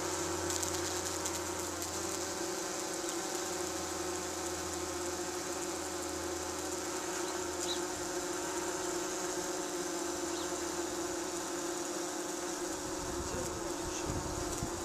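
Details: Tree bumblebees at a nesting box in Cardiff, Wales, UK, on a 37 °C day, fanning as nest air conditioning; a steady, continuous droning hum with layered tones, unbroken for the whole stretch, and a deeper throbbing note that fades in and out.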